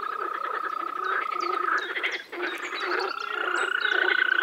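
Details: Croaking frogs in spring, Czech Republic pond or wetland: rapid rattling pulses in a busy chorus, a drawn-out level trill at the start and end, and short high bird chirps above.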